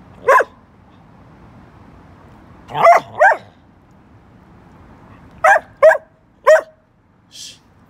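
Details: Chatty young Bedlington Whippet Lurcher named Church barking indoors in spaced bursts: one bark, then a pair, then three close barks, with a fainter higher yip at the end and quiet low hum between.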